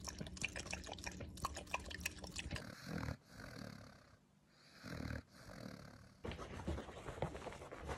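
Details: A female Pembroke Welsh Corgi snorts, grunts and pants in short noisy bursts as part of her everyday noises.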